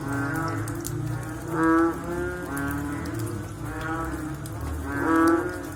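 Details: After rain, several frogs give low, hoarse, cow-like calls that overlap into a droning chorus. Louder calls swell near two and five seconds, with a faint low rumble underneath.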